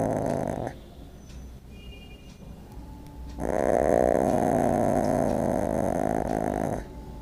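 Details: Cat giving a harsh, rough growling sound: a short burst at the start, a quieter pause, then a loud, sustained buzzy, raspy growl lasting about three and a half seconds before stopping abruptly.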